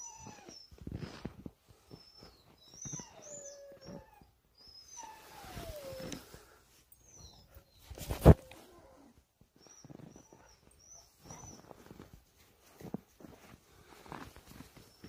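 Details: Jindo dogs, a family group, playing outdoors in piled-up snow; drawn-out whines sliding downward from a higher pitch, with short high chirps, rustling and scuffling steps, and one sharp loud knock midway.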